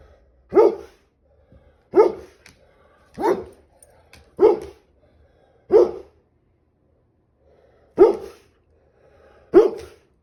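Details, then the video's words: Appalachia, a pet chocolate Labrador Retriever, gives seven loud single barks, each short and sharp, spaced about one to two seconds apart with quiet gaps between. "The Chocolate Lab Diaries - Sneezes & barks"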